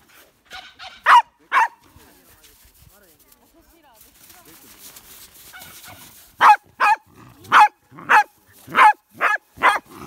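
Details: Hina, a young female Pembroke Welsh Corgi born 8 July 2015, described as very mischievous, barks wanting to play: two sharp yips near the start, a quiet stretch, then a run of six rapid high barks.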